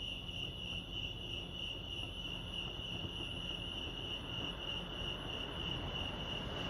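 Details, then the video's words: Crickets at Lake Arrowhead, California, trill steadily in a bright, throbbing high tone that holds without a break, while a soft low rumble, possibly distant traffic, lies beneath. "crickets chirping lake arrowhead"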